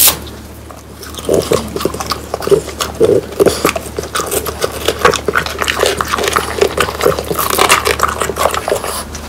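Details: French Bulldogs Pang, Kun and Ppo crunching whole dried quail, bones and all, for a dog eating ASMR. Sharp, crisp crackles pile up irregularly, with softer chewing thuds between bites.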